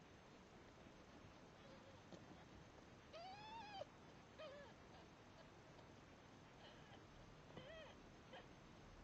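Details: Three-day-old red Devon Rex kittens fighting for milk give a few thin arched mews, one longer rising-then-falling cry near the middle and shorter ones later, over a steady low hiss.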